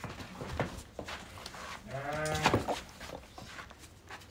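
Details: Pregnant sheep newly delivered: one wavering, nasal bleat rising out of low rumbling and scattered knocks, lasting under a second, with faint voices around.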